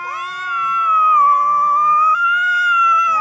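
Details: A single long, steady caterwaul from two cats fighting, drawn out for about three seconds with slight wavering in pitch and a small upward step midway.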